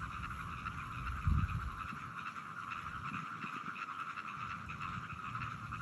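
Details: A dense frog chorus on 17 June 2022, a steady trilling drone with rapid pulsing calls overlapping throughout.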